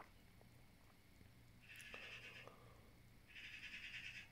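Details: A blue Staffordshire Bull Terrier, apparently talking to the birds outside, gives two high, drawn-out whining vocalisations with a short pause between them; finding: Staffordshire Bull Terrier.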